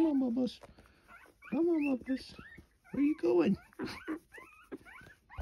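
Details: Orphaned coyote pups, three of them, taken in indoors before handover to a wildlife rescue; repeated high, wavering whines and short squeaky yelps, rising and falling, mixed with a person's coaxing voice.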